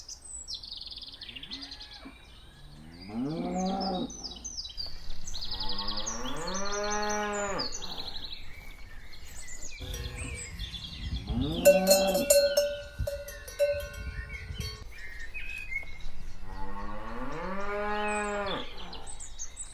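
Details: Walking cows give long, deep, drawn-out moos every few seconds while small birds chirp in the background.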